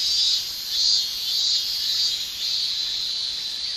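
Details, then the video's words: Steady high shrilling of male cicadas during summer in Japan, made with the tymbals; the buzzing band pulses in loudness roughly every half second to second, otherwise unbroken. "Japan Summer Cicada Shrilling"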